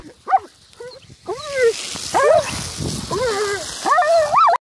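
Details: Big German Shepherd puppy playing with a water jet outdoors. It gives a run of arched, whining yelps, each rising then falling, about five in four seconds, over a steady hiss of spraying water.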